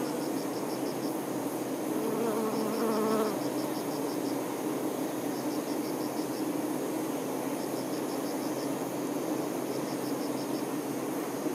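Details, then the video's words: Honey bee workers tending their queen: a dense, steady hum fills the background, and a closer, louder buzz swells for about a second near the start. Short bursts of high insect chirping repeat throughout. "Nature ASMR-honey bee"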